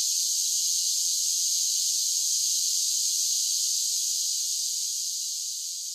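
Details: Cicadas sing through a summer day: an intense, continuous, high shrill whirring that holds steady, then fades a little in the final second. Nothing else is audible.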